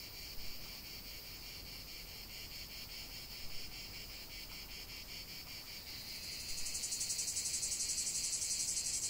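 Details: Cicada chorus in nature, a steady high buzzing with rhythmic pulsing throughout that swells into a louder, shriller rasping layer during the final few seconds.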